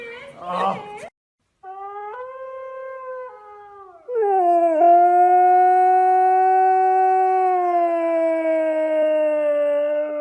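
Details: Husky puppies howling: after a brief noisy burst, drawn-out tonal howls with rich harmonics, at first stepped and wavering, then a long steady howl held for about six seconds that slowly sinks in pitch.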